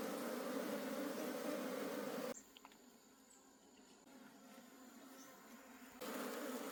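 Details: Swarm of honey bees from a wild forest colony at harvest time. A loud massed hum drops away to near quiet for about four seconds, then returns just as dense.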